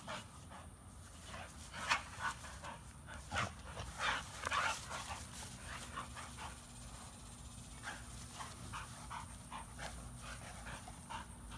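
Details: American Bully dog, one of the pair Beats and Maxx with a Pitbull, breathing in quick, rough, breathy bursts of uneven spacing, with low steady background hum throughout.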